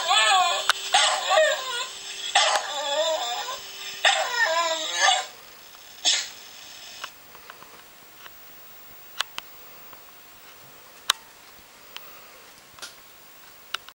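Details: A dog howls along with a harmonica in a room: about five seconds of wavering, sliding howls over harmonica music, then near quiet with a few sharp clicks and small knocks.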